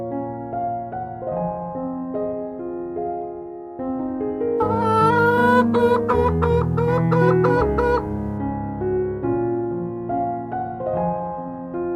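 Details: Gentle piano music plays throughout, with a brighter run of repeated high notes in the middle and no animal sounds.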